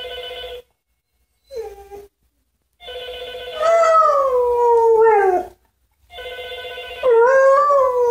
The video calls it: Husky howls every time the phone rings